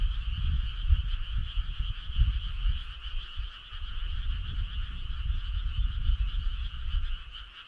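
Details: Frog chorus on a midsummer night along a country road: a steady, unbroken wall of overlapping trilling calls in two bands, one mid and one high, under a constant low rumble.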